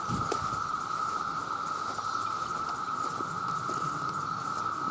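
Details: Mating calls of countless male cicadas, a loud sound: a steady droning buzz with scattered soft clicks and patter over it.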